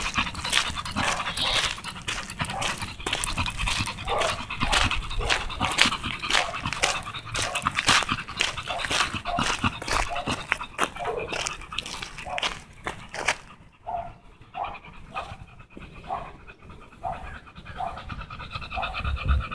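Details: Tugboat, an American Bully, out on a walk, panting steadily in quick breathy bursts, roughly two per second, rough and hissy. The panting grows softer and more spaced after about thirteen seconds.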